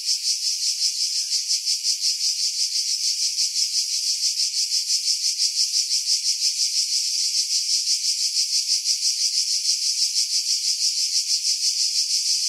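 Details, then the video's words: Cicadas singing in pine trees about 50 m above the sea at Pefkos Bay, Skiros Island, Greece, in July; a dense, continuous high-pitched buzzing chorus pulsing about three times a second, with wind noise filtered out. "Cicada Sounds, July 2018 Skiros, Greece"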